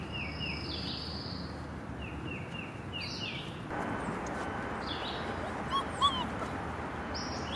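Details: A litter of five-week-old Alaskan Malamute puppies on their first adventure, 30 March 2021, gives thin, high whines and yips in short runs of falling notes. Soft squeaks come near the end over a steady, rushing background hiss.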